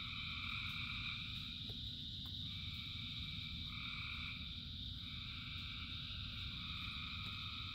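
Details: Frogs singing in rain by the thousands, a continuous trilled chorus with overlapping drawn-out tones that start and stop irregularly, steady rain noise filling the low end throughout.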